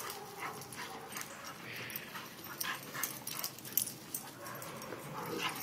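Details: Play session between a visiting male boxer named Bo and three dogs, Diamond, Clover and Scarlet. Brief whiny yelps and whimpers rise out of constant scrabbling and clattering movement.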